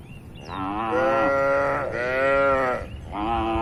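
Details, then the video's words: Cattle walking and grazing in a broad green farm field: two long, full-throated moos about a second each, followed by the start of a third, with low rumbling background noise. "Bunyi Sapi Lucu Moo!"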